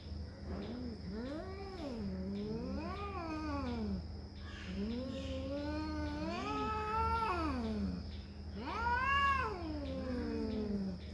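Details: Cats fighting over territory trade a run of wavering, rising and falling yowls, four long moaning phrases in about eleven seconds, the last one loudest.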